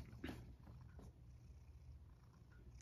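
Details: Male rescued cat Sacchan, who lives at Kazano Kobo, at dinner time: a soft, low, steady purr rumbling throughout, with a few brief clicks and rustles and a faint high whine in the room.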